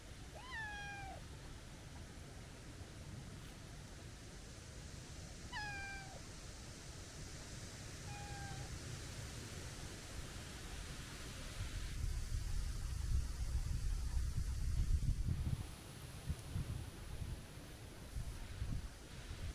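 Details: Stray tabby cat, heavyset but with a childlike, kitten-sounding voice, meowing three times. The meows are thin and drooping, and the last one is softer. Gusty low wind noise grows afterward.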